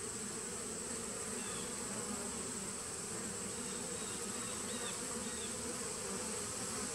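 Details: Nuc colony of honey bees started in 2017, heard on 19 September 2018, giving an even, unbroken buzzing drone, with a steady high whine and a few faint, short chirps in the background.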